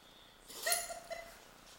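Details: A female dog caught mid-fit during a sneezing bout that went on for almost 30 minutes; one short, sharp, breathy burst of noise, then a brief faint snort as the air settles.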